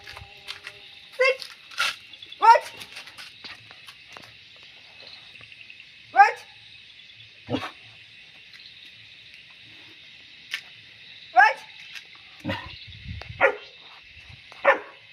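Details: German Shepherd puppy during a training session: short, sharp barks spaced several seconds apart, with a steady background hiss throughout.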